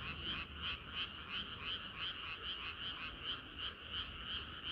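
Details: Frogs singing in chorus on a hot summer night in Korea: dense, continuous croaking with pulsed notes repeating about three times a second, bands near mid and high pitch, steady low rumble beneath.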